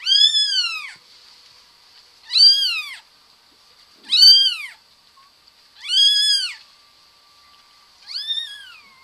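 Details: Domestic cat meowing five times, each a clear, arching high meow rising then falling, spaced about two seconds apart, with a faint steady tone in the background.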